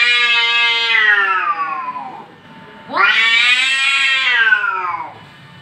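An angry cat gives two long, drawn-out yowls, each wavering and slowly falling in pitch.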